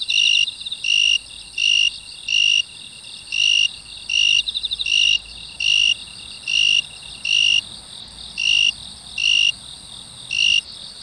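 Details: A broad-winged tree cricket (Oecanthus euryelytra), found in grass near apartments in South Korea on 27 August 2016, sings short, pure, ringing chirps at a steady high pitch, repeated almost every second.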